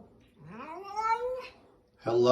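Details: Domestic cat in a funny pet compilation making one drawn-out meow that starts low and slides steadily upward for about a second before fading. A short burst of human voice follows.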